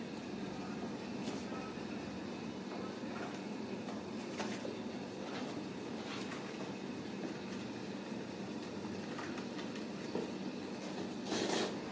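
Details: Steady indoor background hiss and hum with scattered soft clicks and knocks, and no animal voice heard.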